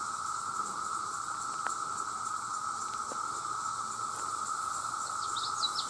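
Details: A vast mass of male cicadas crying out to attract females sustains a level, continuous buzzing drone throughout, with a few sharp ticks and brief high bird chirps near the end.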